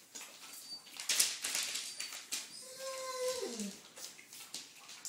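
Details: Red rust Doberman Pinscher puppies, almost four weeks old, indoors; one pup gives a short whine that slides downward near the end, amid rustling and soft background noise.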